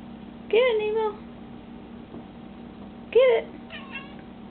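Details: Pet cat indoors while trying to catch a moth, giving two short rising-falling meows about two and a half seconds apart, the second followed by a softer, fainter meow; steady low household hum underneath.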